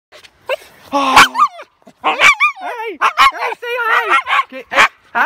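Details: A female Siberian Husky barking very loudly outdoors, a rapid series of yodelling, howl-like vocal bursts with wavering, sliding pitch, several in quick succession over about five seconds.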